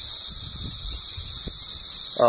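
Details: Mass chorus of seventeen-year cicadas, emerged in summer 2016 in Southeastern Ohio and singing for about a month, a constant shrill, steady wall of high buzzing with faint low rumbles and a voice starting at the end.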